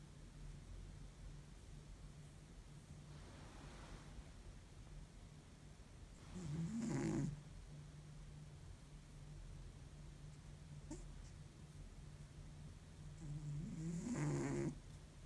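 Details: An exhausted cat after a long week sleeps deeply and snores like an old man; low, raspy breaths roll in roughly every seven seconds, with soft breathy sounds between and a constant low hum.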